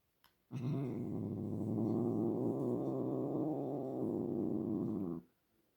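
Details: Pet cat making a continuous low, rumbling growl-like sound that starts abruptly, holds steady for about five seconds, then stops, with near silence around it.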